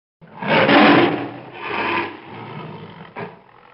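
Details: Wild tiger roaring: one loud, harsh, broad roar swelling over the first second, then a weaker rasping second roar and a short final burst near the end.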